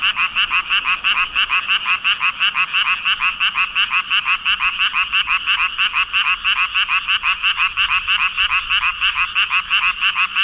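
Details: Frog chorus from a mass of about 5,000 frogs: dense, rapid croaking pulses repeating nearly three times per second, strongly layered around mid-high pitch, steady and unbroken throughout with no other sounds standing out.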